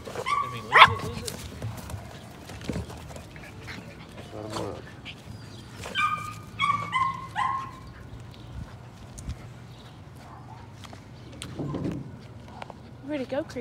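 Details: Evening rat work for a litter of Patterdale Terrier puppies in their pen: a sharp yip early on, then a cluster of four descending whiny yelps midway, with soft human voices and rustling in between.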